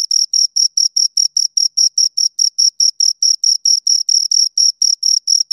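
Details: Two crickets produce repeated sharp, high-pitched chirps in a regular rhythm of roughly four pulses a second, with no other sound present.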